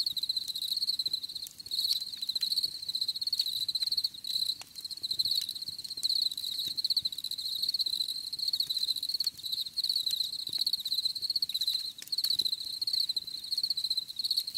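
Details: Crickets give a nearly continuous high, rapidly pulsed trill with only brief dips, accompanied by occasional sharp clicks in the background.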